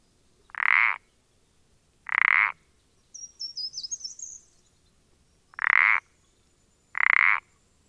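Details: Pelodytes punctatus calling, dated 14-04-20: four short grating croaks in two pairs, notes about 1.5 seconds apart within each pair, with a thin high chirping between the pairs.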